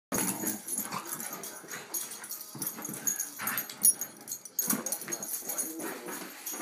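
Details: Two dogs, Bella and Sophie, one of them big, playing together in a small apartment; rough wheezy growls and snorts in bursts, with scuffling and thumps indoors.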